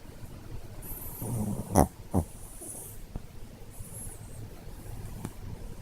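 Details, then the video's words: Sleeping Chihuahua snoring: low, rough, snorting breaths swell in the middle, with two sharp clicking snorts close together and a faint high whine in the background. "チワワのいびき - Snoring Chihuahua -"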